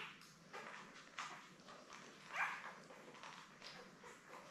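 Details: Labrador Retriever pups from a litter of seven born May 24, 2021, lying with their mother Belle indoors on June 3; a single short, rising squeal stands out midway against quiet shuffling and soft background noise.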